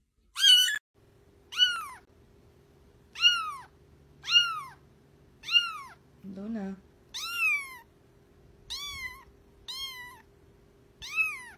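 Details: Cat from a TikTok compilation of cute and baby cats, meowing about once a second in a steady series of short arching calls over a faint hum, with one brief low squeak midway.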